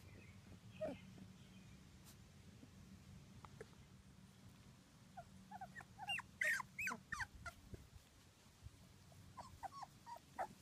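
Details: Two-week-old British Labrador Retriever puppies from a litter of six born June 2015 to Ruby and Del, giving short, high, squeaky whimpers in clustered bursts, quiet at first then busier near the end, over a steady low hum.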